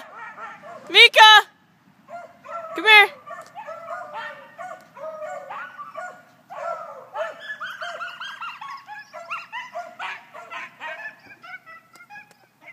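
Coyotes yip and howl in a wavering chorus after two sharp, loud barks at the start.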